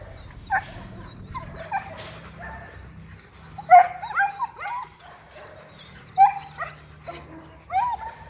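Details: Two litters of German Shepherd puppies at a kennel in Bảo Lộc, Lâm Đồng, Vietnam, give high, yelping barks and whiny yips in short, uneven bursts.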